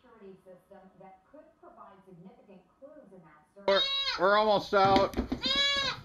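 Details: Goat giving loud, shaky, quavering bleats in the second half, several drawn-out cries in quick succession, preceded by a softer stretch of voice-like sounds.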